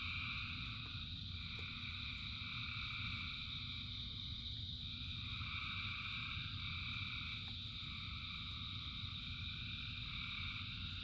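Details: Frogs singing in rain by the thousands: a thick, continuous wall of trilling at several stacked pitches with slight wavering swells, a few faint clicks, and the steady low rumble of rain beneath.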